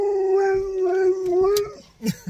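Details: Siberian husky named Sherpa, on a road trip to a holiday and stopped for an hour's play, gives a steady, mid-pitched sustained howl of about two seconds with slight wavering, ending in a brief soft thump.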